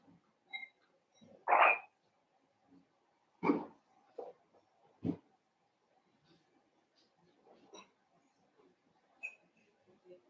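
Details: Blenheim Cavalier King Charles Spaniel puppies in their indoor puppy pen, one of five littermates born at New Year: sharp yelps and short barks spaced a second or two apart, with softer squeaks and whimpers in between.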